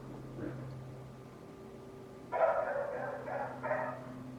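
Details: A neighbour's loud dog barking from next door: after a quiet stretch with a faint human voice near the start, a run of four quick, harsh barks erupts in the second half, with a steady low hum underneath.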